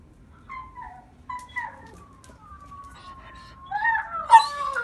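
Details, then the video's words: Domestic dogs, a mother with her two sons including a German Shepherd, howling together: wavering, gliding tonal howls with sliding pitch, starting soft and separate, then rising into louder overlapping cries near the end. "German Shepard howling"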